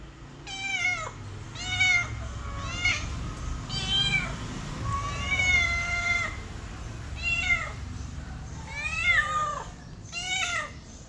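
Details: Kittens with their mother cat: close, loud, high-pitched mews repeated about once a second, each rising then falling, some wavering, with short gaps between calls in a small indoor space.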